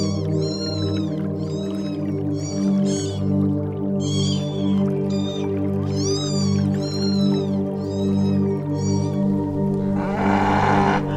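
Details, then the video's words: Cat mewing in a string of thin, high, arched cries, repeated roughly every second, over continuous background music, ending with a brief burst of noise. "Cute and Funny Animals Making Sounds Elephant Duckling Cat Rabbit Bear Bird Otter and Dog"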